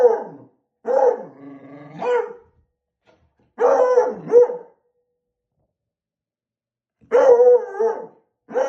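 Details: Beagle puppy barking at a balloon, giving bursts of two or three rough, harmonic barks with a low growling sound between them, separated by pauses of a second or more.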